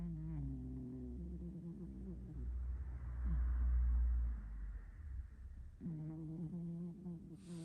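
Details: A 6.5 kg hairless pet cat snoring: steady low, droning harmonic breaths at the start and end, with a deep rumbling thump in the middle of the recording.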